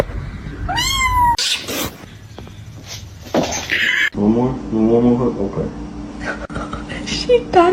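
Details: A domestic cat lets out a drawn-out meow that rises then falls, followed by talking and household clatter, then a run of softer, wavering cat cries with a person speaking over them.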